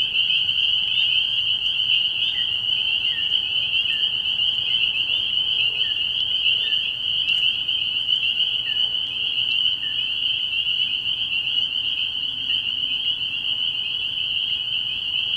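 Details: Nighttime early-spring chorus of spring peepers at a frog pond. Countless high peeps fuse into a continuous piercing ring, while separate short rising chirps stand out about once a second through the middle.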